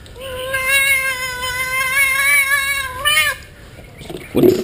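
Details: Pet cat during her monthly bath, washed with human bath soap on a warm day: one long, drawn-out, steady wail held about three seconds, ending with a slight rise, then splashing water.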